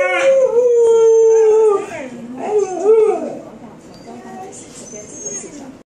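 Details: Samoyed singing along with a sustained, level howl that slides downward, then a shorter wavering howl. Human speech and quieter whining follow as the sound fades.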